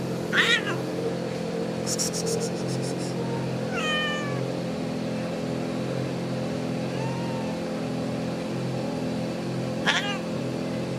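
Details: Domestic kitten with its mother cat, the kitten seeking affection she does not return; a few short, high meows near the start, middle and end over a steady low hum, with a brief clicking patter early on.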